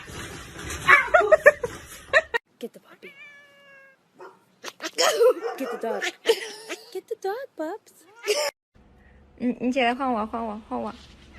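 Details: Domestic cat letting out a series of drawn-out, wavering meows, some sliding up and down in pitch, interspersed with human voices and brief noisy bursts.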